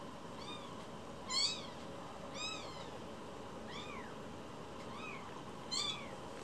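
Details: High-pitched arched mews from one-week-old fostered rescue kittens named Cookie and Nan, repeated about once a second, some louder and shriller, against a quiet indoor background.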